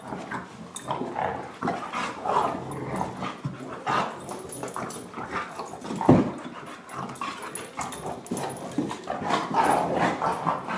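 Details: Dogs at play, filmed on a Canon Vixia HF 21 camcorder, give short yips and rough, noisy vocal bursts, with one sharp louder burst midway, in a steady back-and-forth stream.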